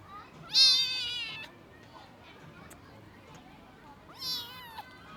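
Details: Abandoned kitten left two days in the snow at -11°C before rescue: two high, thin meows several seconds apart, the first longer and wavering, with quiet background between them.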